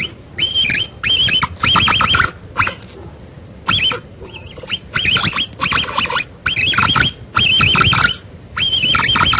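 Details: Capybara calls, said to draw the animal closer when played: bursts of high, wavering whistle-like notes with harsh, raspy edges, grouped in short bouts about every half to one second, separated by quiet gaps.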